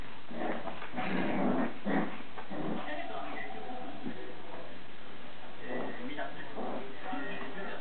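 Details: Shiba Inu puppies, a litter of siblings fighting, growling, yipping and whimpering in a rough, irregular scuffle, with some human voices.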